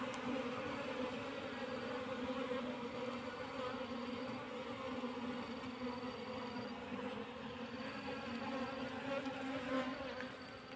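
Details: Wild Asian honey bees moved from the wild into a hive box make an even, continuous low drone with clear overtones throughout, accompanied by faint on-off high tones in the background.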